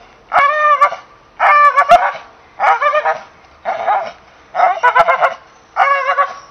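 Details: English Bull Terrier producing six evenly paced yelping barks, each a wavering, harmonic whine lasting under a second, with quiet gaps between.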